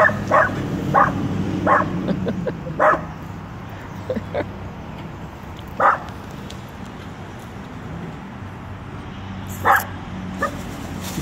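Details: Small, fearless Dachshund telling off a full-grown Rottweiler: scattered sharp barks, several in the first three seconds and then isolated ones spaced seconds apart, over a low constant hum.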